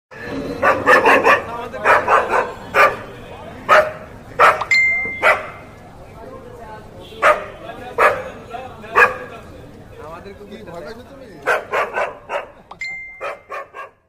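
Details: Two dogs fighting in the street give loud, harsh barks in quick clustered bursts with short pauses between them, and a brief high electronic beep sounds twice.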